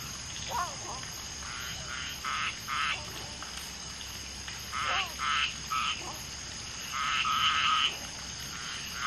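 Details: Mating common tree frogs (Polypedates leucomystax), one female laying eggs and two males fertilising them, with background frogs: harsh pulsed croaks in clusters of two or three separated by pauses, plus occasional falling chirps.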